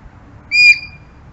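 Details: A local red fox visiting a game cam where it scent-marks gives one short, squeaky bark, a single clear harmonic note lasting about a quarter second and fading slightly at the end, over faint low background hum.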